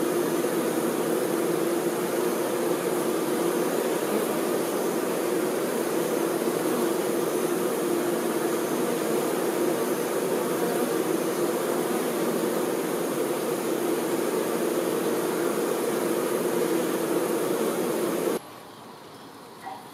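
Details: Worker honey bees tending the queen produce a thick, continuous hum that stays steady for about eighteen seconds, then cuts off abruptly, leaving a much quieter background with a faint click near the end.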